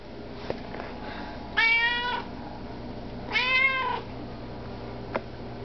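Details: Indoor Russian Blue cat asking for food, giving two drawn-out harmonic meows about two seconds apart, each slightly falling at the end, with a few soft clicks and faint room hum between them.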